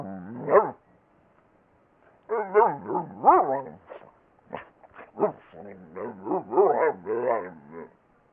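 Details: A talking pet dog gives a short yowl, then after a pause a chattering series of choppy, rising-and-falling vocal bursts, like mumbled syllables, lasting about six seconds.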